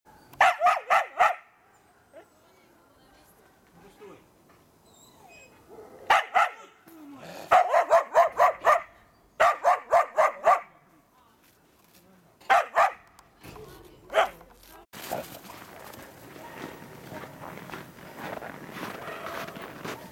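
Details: Karelian Bear Dogs, a two-year-old and an eight-month-old, working a penned wild boar while training for trials: bursts of sharp, rapid barks in quick runs of three to six, with pauses between, ending in steady broadband noise.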